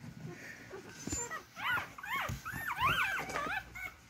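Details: Several beagle puppies crawl toward their mother to feed, giving high whining squeals that rise and fall in short overlapping bursts, with soft rustling in the background.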